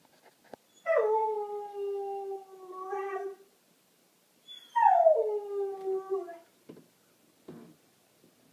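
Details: Australian Kelpie, one of three dogs left home alone, howling: two long sliding howls, each starting high then falling and holding steady, about four seconds apart, with faint clicks and a person's voice afterwards.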